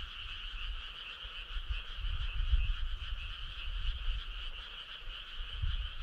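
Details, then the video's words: A summer-night chorus of many frogs: a rapid, continuous trilling buzz with a rhythmic pulse, set over uneven low-pitched rumble. "Cool frog sound"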